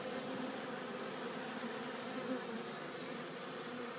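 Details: Honeybees collecting pollen and returning to the hive: a steady, dense buzzing drone from many bees, even in loudness throughout with no other clear sounds.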